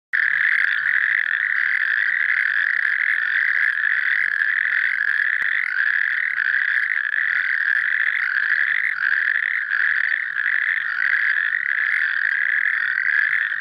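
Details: A male natterjack toad gives a loud, continuous rattling trill without a break, recorded during a monitoring round in the Azewijnse Broek, Netherlands, on 6 May 2022.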